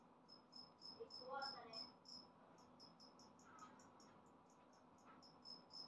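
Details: A newly emerged two-spotted cricket, a species of Okinawan parks and dry grassland, gives steady, high, ringing "piri-piri" chirps in quick, even succession, louder than an earlier individual.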